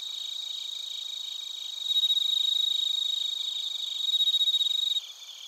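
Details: Suzumushi bell crickets with other crickets in Narita, Chiba, Japan, TASCAM Portacapture X8; a clear bell-like sustained high tone rings for about three seconds over a fast pulsing chirp chorus, then drops back to softer trilling.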